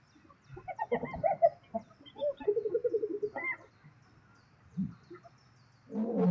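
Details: Spotted hyenas fighting lions over food in South Luangwa National Park, Zambia: bursts of nasal, giggling and whining calls with stuttering runs of short notes, then quieter low grunts and a rising noisy outburst at the end.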